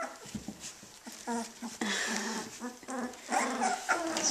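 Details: Puppies 18 days old, just starting to play, give short harmonic whimpers and small growling grunts in quick irregular bursts, with a person talking softly nearby.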